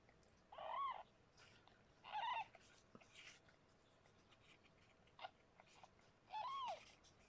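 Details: Meows during the birth of six kittens to Harlequin, a rescued pregnant foster cat. Three arched, harmonic meows, each about half a second long, come at roughly 0.8, 2.2 and 6.5 seconds over quiet room hiss and soft clicks.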